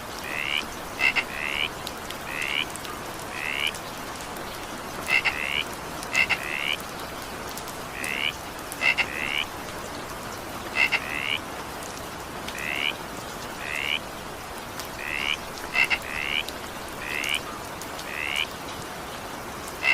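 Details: Over steady evening rainfall, a frog repeats short upward-slurred chirps in quick pairs, about one call a second, interspersed with crisp clicking double notes throughout.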